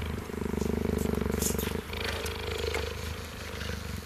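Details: A cheetah that rarely purrs leans against a fence while a meerkat grooms him, purring in a deep, steady, rapidly throbbing rumble, with faint music and voices behind.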